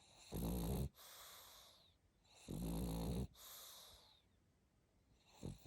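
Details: Sleeping pug snoring: two long, rasping inhalations with a deep harmonic rumble and airy hiss, each under a second, about two seconds apart, then a quieter breath starting near the end.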